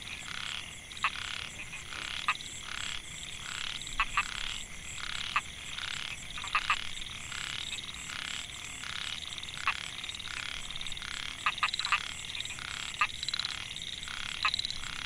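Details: Rice field at Mae Hia, Chiang Mai, Thailand, 2014: male Microhyla pulchra calling to attract females. Dense, regular buzzy pulsing repeats about twice a second throughout, punctuated by crisp single and double clicks, with persistent high hiss.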